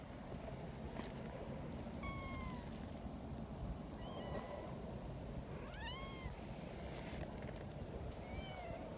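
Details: Young community cats near a milk-tea coloured cat, described as happy, give four high, clear meows with rich overtones, some arching up then down, spaced about two seconds apart over a steady low rumble.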